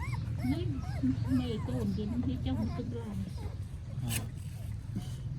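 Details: Newborn puppy crying loudly in Cambodia, recorded on a phone: a rapid run of short, wavering whimpers that rise and fall in pitch, over a steady low hum with voices nearby.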